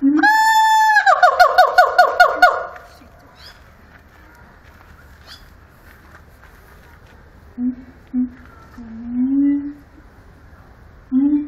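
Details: Siamang song at Antwerp Zoo opens with a loud, harsh, harmonic scream breaking into rapid pulsed barks over two seconds. A quiet pause follows, then several low, swelling hoots near the end.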